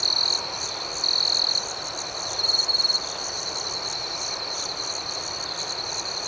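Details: High, ringing cricket chorus at night, opening with loud chirp bursts at the start and near one second, then a rapidly pulsed trill around two and a half seconds before steady background chirping.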